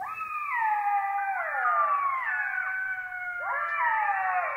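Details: Southern African black-backed jackals give a chorus of overlapping wailing howls, rising then sliding down, with several voices weaving together in mid pitch.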